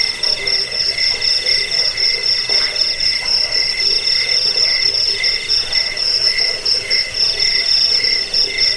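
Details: A cricket's shrill trilling, promoted for chasing off rats, bedtime listening and teaching birds to sing; fast regular pulses in high bands, continuous throughout, several callers overlapping over quiet background.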